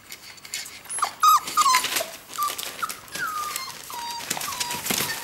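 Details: Hungry whippet pups, four weeks old, whimper near their den while watching their mother eat. A string of short, downward-sliding whines repeats about every half second, some louder and squeakier, over soft rustling indoors.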